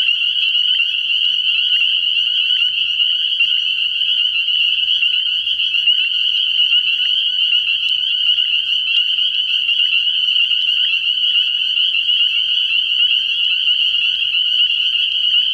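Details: Frog pond at night in early spring, packed with spring peepers whose high piping calls merge into one continuous, ringing wall of sound with no pauses.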